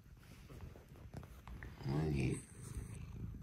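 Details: Indoor cat purring at dawn as the cats come to wake their owner, one of a Scottish fold and British shorthair trio. Low purring runs underneath, broken midway by a short voiced tonal sound, with light rustling around it.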